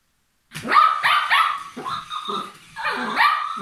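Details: A Papillon playing gives rapid, high-pitched barks in a quick cluster, a short pause, then two more sharp yappy barks with harmonic ringing.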